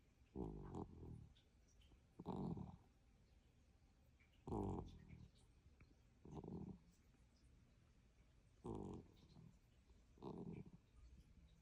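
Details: Cat snoring: six low, rough breathing bursts, each around half a second long, roughly every two seconds in a quiet room.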